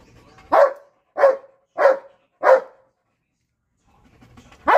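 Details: A Belgian Malinois barks at a cat, giving four sharp barks roughly every two-thirds of a second, then falling silent before a fifth bark at the end.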